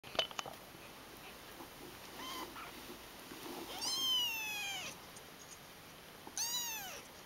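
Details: Ten-day-old kittens piled together, giving high, thin mews that arch and then fall. One faint cry comes first, then two clear, drawn-out calls about two seconds apart, the first lasting around a second, over a steady background hiss.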